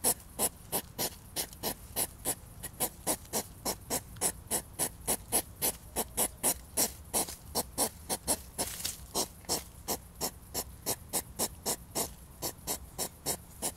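A European hedgehog huffs and snorts in a steady, fast rhythm, each puff a short, breathy burst. These loud repeated snorts go with the circling courtship of the mating season.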